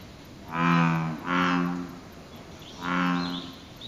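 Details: American bullfrog calling in the lotus pond below the Izumi Bridge, Izumi Nature Park, Wakaba-ku, Japan, dated 06/07. Three deep, resonant groaning calls, each about half a second to a second long, with short pauses between.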